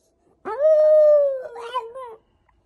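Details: Single Shiba Inu howl: a sharp rising onset into a long steady harmonic tone, then a wavering, slightly falling tail with yippy breaks before stopping.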